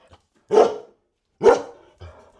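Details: Dog giving two sharp, loud barks about a second apart, each a short punchy burst, followed by a softer, shorter third bark-like sound; faint small noises at the start.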